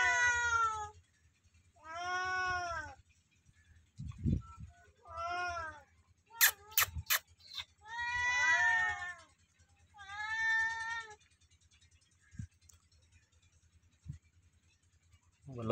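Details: Loud meowing from two cats, about seven clear harmonic meows repeated roughly every two seconds, each swelling and bending downward, with a few sharp clicks and thumps between calls over a low hum.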